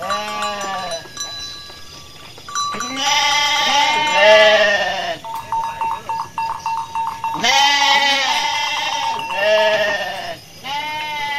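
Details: Dozens of Garut sheep running about in a rice-field area, stirred up by a raging Garut ram, bleat loudly and repeatedly in overlapping, quavering, nasal calls.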